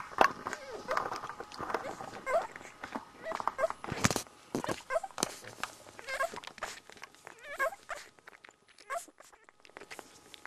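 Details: One-week-old Border Collie puppies nursing together, giving short high squeaks and thin whimpers in scattered bursts, with soft sucking and shuffling clicks between them and quiet stretches.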